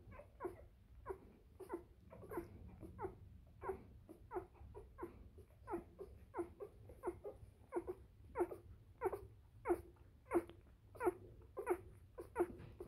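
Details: Bernese Mountain Dog litter, three days old, crying indoors: steady series of short squeaky whimpers, about one and a half per second, some overlapping as several pups call, over a low background hum.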